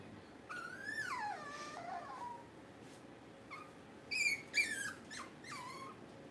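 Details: During a livestream held through a power outage, puppies whine and squeal. A long wavering cry rises then falls, followed by sharp, high yelps and short squeaks near the end.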